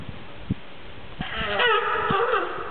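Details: At Opole Zoo, a California sea lion gives a drawn-out, nasal, bleating call after a few dull knocks.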